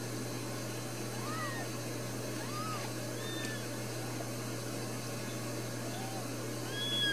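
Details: Brand-new Ragdoll kittens, four born in a home cattery in central Kansas, give a series of high, thin, arching mews spaced a second or so apart, with a low steady hum beneath.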